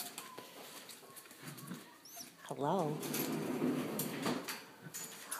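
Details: Indoors with a litter of six-week-old Siberian Indian Dog puppies, a sharp, wavering yelp breaks into a quick run of pulsing whimpers, with a woman talking quietly nearby.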